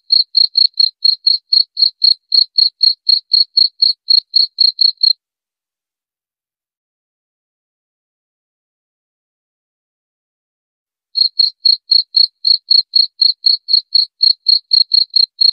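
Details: Cricket chirps in a rapid, regular train of short high notes for five seconds. About six seconds of silence follow, then the same chirping returns. Nothing else is audible.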